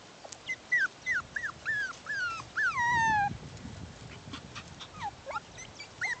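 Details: Six-week-old Bichon Poodle puppies, a bichon and poodle mix litter, playing outside; high thin whimpers slide downward in quick short bursts, one longer drawn-out whine near the middle, then scattered yips with faint low rustling.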